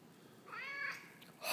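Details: Peyton, a chatty male pet cat, answers his owner with a smooth, drawn-out meow. Another brief faint meow follows, then a sudden burst of noise at the end. The owner is asking whether Bert, the other cat, knows what he did.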